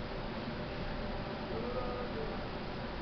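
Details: Steady low broadband rumble like a vehicle or room hum, with faint murmuring and no animal voice.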